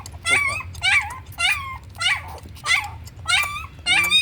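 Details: High-pitched puppy whimpers from a slow-growing pup fed on milk powder, each cry a short wavering whine with a falling tail, repeated steadily about every half second over a constant low hum.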